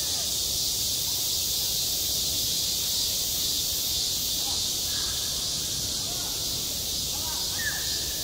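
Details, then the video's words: A summer cicada chorus over a school playground: a continuous shrill, hissing drone fills the air without a break, with faint distant voices in the background toward the end. "한 여름 운동장에서 매미가 울고 있다"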